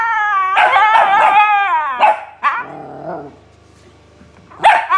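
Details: Siberian Husky responding to a barking dog: a sustained, slightly wavering harmonic howl of about one and a half seconds, then short yelps and a lower moaning phrase, ending on a sharp bark.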